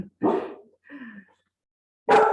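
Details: A pet dog barking indoors in the background of a live online seminar: two short, harsh barks about two seconds apart, with a brief voiced sound between them.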